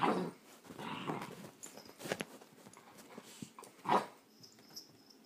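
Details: Great Dane kept at bay by a cat inside a small room: gruff growling bursts at the start, scattered softer grumbles, then a loud sharp yelp-like burst near four seconds before quiet.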